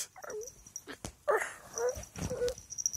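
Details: High-energy domestic cat, described as demented, giving a quick run of four short, rough, wavering meows in three seconds, each bending down then up, between sharp clicks and knocks indoors.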